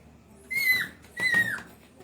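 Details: Indian pariah dog puppy (desi dog), recorded 11 July 2025 at 8:05 pm: two high, thin whimpers about half a second apart, each holding a steady pitch before dipping at the end, with a quiet room background.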